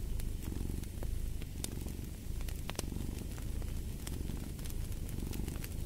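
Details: Close, rumbling cat purr with fine rapid vibration and gentle rises and falls, while fire crackles and occasional sharp pops sound in the background.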